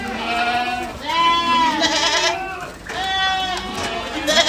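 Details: Herd of Ardi goats in Kuwait giving loud, drawn-out quavering bleats, two main bursts each lasting about a second and a half, with quieter bleats overlapping in between.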